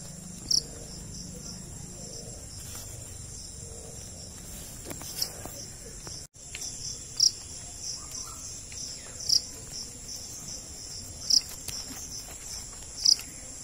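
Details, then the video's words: Cricket (jhingur) sounding crisp high chirps spaced about two seconds apart, with a continuous high insect whine behind and a short gap in the sound midway. "Desi Insects Cricket, Jhingur kaisa hota hain?"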